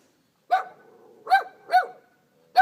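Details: Abandoned puppies found outdoors bark in short, high, yappy bursts: one yip, a pause, then two quick yips close together and a fourth starting at the end, with otherwise quiet surroundings.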